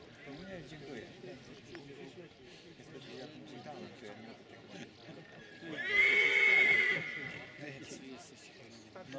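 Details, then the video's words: Silesian stallion neighing once, a strong harmonic whinny of about a second that stays roughly level before fading, rising out of continuous murmuring human conversation. "ogier śląski"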